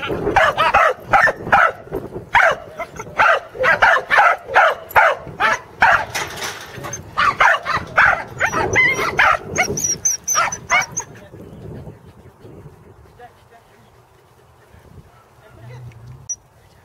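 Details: On their second herding attempt with sheep at Island Crossing Farm, Arlington, on 3/27/11, corgis Teddy and Jack let out a long string of fast, high, yappy barks for about eleven seconds, which then stops, leaving near quiet.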